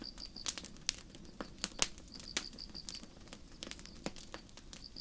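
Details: Chirping of crickets in a night forest under the stars, a campfire burning close by: brief bursts of high, rapidly pulsed trills repeat about once a second, broken by frequent loud crackling snaps from the fire.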